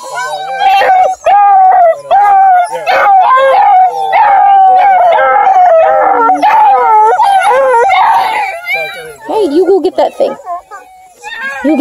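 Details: Playful Bluetick Beagle cross female puppies, part of a litter of four near Kingston, Ontario, Canada, whose parents hunt deer. They keep up long, quavering whine-howls with sharp yelps scattered through them, and a woman's coaxing voice is heard in between.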